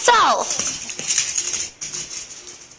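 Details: Puppy named Noodle playing with its ball indoors; one short, high, squeaky whine sliding down in pitch at the start, followed by soft rustling and scratching sounds.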